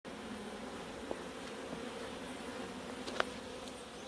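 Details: Africanized honey bees in Puerto Rico during routine hive inspection; a dense steady hum of many bees fills the air, low droning with a few brief clicks and knocks from the handling.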